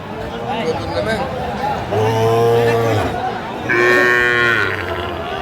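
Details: Sahiwal bull calves at a cattle market in Faridpur, Bangladesh, on 27 March 2025: two long harmonic moos, each about one second, the second higher and brighter, over a busy crowd of chatting buyers and sellers.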